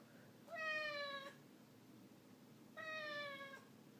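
A Ragdoll cat gives two drawn-out meows, each steady and slightly falling, about two seconds apart.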